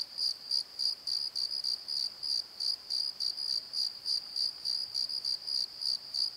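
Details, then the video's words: Crickets after dark in a valley bottom near a tree at Pozo: shrill, evenly spaced chirp bursts about three per second, each with a faint higher overtone, over a quiet night background. "Crickets and Croaks! Pozo Night Tree"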